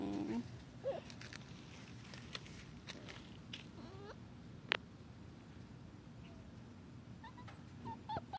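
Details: Dachshund puppy named Nairobi on her first walk on grass, giving a few faint, thin whimpers: short rising squeals near the start, middle and end, set against a steady low outdoor rumble with an occasional sharp knock.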